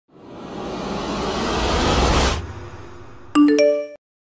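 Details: A rising rushing whoosh swells for two seconds, then a bright three-note ding-dong chime rings out; no animal voice is heard.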